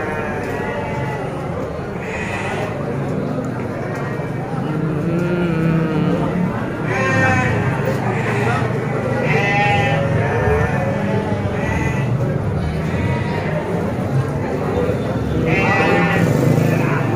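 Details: Garut sheep among many at Tanjungsari livestock market: several wavering bleats from a flock overlap through the recording, with crowd murmur and voices throughout.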